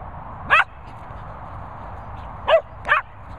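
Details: Two dogs, a Cockapoo and a Labrador, whining: three short, sharp, tonal yelps, one alone and then a close pair about half a second apart, over a low steady background hum.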